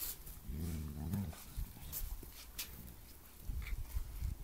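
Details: Two Bernese Mountain Dogs play fighting in a garden while a Flat Coated Retriever puppy watches; a deep, rumbling growl swells for under a second near the start, followed by scuffling and soft background noise.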